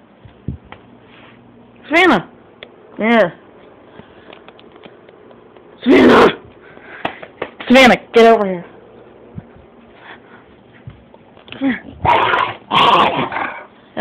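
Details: Dogs recorded on a mobile phone giving short, sharp, harmonic yelping barks in separate bursts spread across the recording, while people talk nearby.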